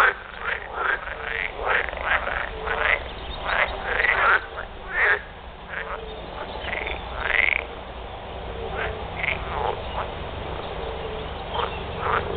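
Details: A breeding chorus of edible frogs, several calling at once with rasping, quacking croaks in quick uneven runs, some bursts louder and nearer, others fainter behind, continuing without pause.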